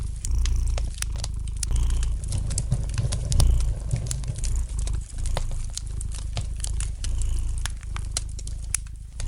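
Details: A domestic cat purrs softly in front of a fire; the deep vibrating drone pulses steadily and fades a little toward the end, accompanied by many bright, irregular crackles from the fireplace.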